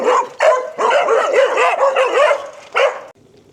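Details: Several dogs bark loudly in quick, overlapping bursts of high, ringing yaps during an afternoon walk where dog owners exercise their dogs, seemingly barking as the walkers leave.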